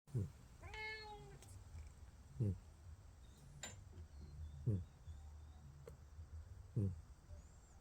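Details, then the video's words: Sleeping pet cats snoring and purring indoors: short low snorts repeat about every two seconds over a steady low rumble, with one brief harmonic mew early on and a person talking softly. "Cats... The snoring Whiskas"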